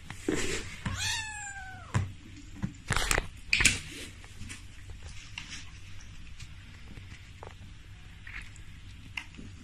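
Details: Hairless Sphynx cat indoors giving one short, falling meow near the start, followed by knocks, thumps and rustling, then quiet room noise with faint scattered clicks.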